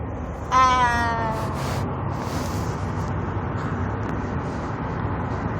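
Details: Cat making noises: one loud, drawn-out meow with a slightly falling tone, followed by several seconds of steady low background hum and no further calls.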